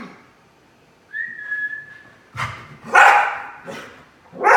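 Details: Bodhi the Keeshond, joyful after playing in his kiddie pool, gives a thin, steady whistle-like whine that holds for about a second, then breaks into a run of four rough, loud barks.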